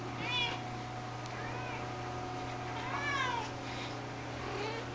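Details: Shaded golden Persian cat, a mother of a litter, excited over a catnip banana toy while kittens and other cats lie around indoors; several short rising-falling meows, around 0.4, 3 and 4.6 seconds, over a steady low hum.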